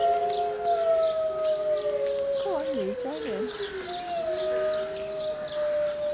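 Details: Wolves in Berlin Zoo howling together in a chorus of long, steady, overlapping tones, broken midway by quick wavering, yodel-like notes before the sustained howls resume.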